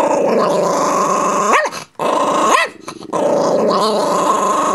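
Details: Chihuahua mix guarding a bone, all bark and no bite; a steady rumbling growl runs throughout, interrupted twice by sharp rising yelps near the middle.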